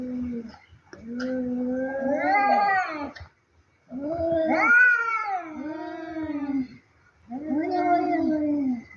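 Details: Pair of cats fighting, trading low moaning yowls that swell and bend upward in pitch, three long wavering howls separated by brief pauses.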